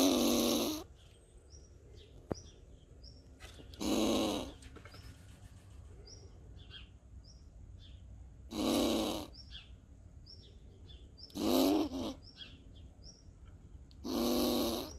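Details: A seemingly agitated squirrel gives harsh, raspy defensive bursts every few seconds, with faint high chirps between them; recorded 20 August 2021 in Borken-Singlis, Germany.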